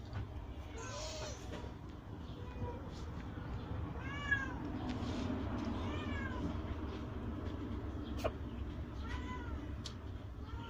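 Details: Grown kittens of rescued street mother cats, kept with their mothers in a cat house, give soft arched meows that repeat irregularly over a low steady background hum.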